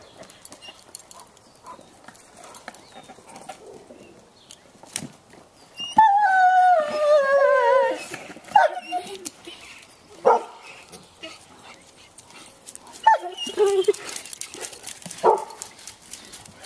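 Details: Bloodhounds playing with a toy and splashing in a swimming pool; a drawn-out, falling, harmonic howling whine lasting about two seconds, followed by short yelps amid splashing water.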